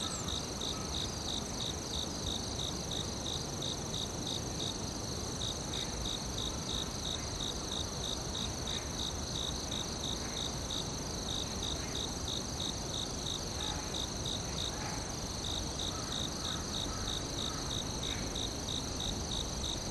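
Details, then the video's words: Crickets in a forest, rapid pulsed chirps that fade and return, layered over a steady shrill insect hum and dense low background noise. "Cricket Sounds ASMR"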